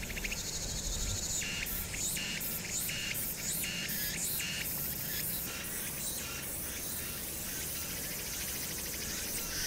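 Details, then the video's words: Cicadas in summer darkness at Hwangnyeongsan, 1 August 2019, give evenly spaced short buzzing pulses, several per second at first and then loosening into a steady high drone, with distant city noise rumbling below. "황령산(Hwangnyeongsan)의 여름 매미소리"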